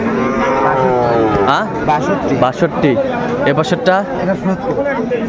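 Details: At a Kurigram cattle market in Bangladesh, 22 March 2025, among Sahiwal bull calves for sale, a rich harmonic moo opens, then bends downward, while overlapping voices and market chatter continue throughout.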